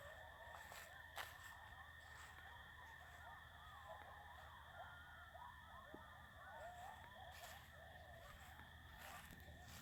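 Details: Night chorus of many coyotes going wild, overlapping quavering yips and yelps rising and falling, fairly distant, with a constant tonal hum and faint handling noises.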